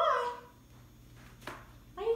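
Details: Maine Coon kittens at play with ping pong balls and a toy mouse; a short harmonic meow opens, a brief click follows after a quiet pause, then a second rising meow closes.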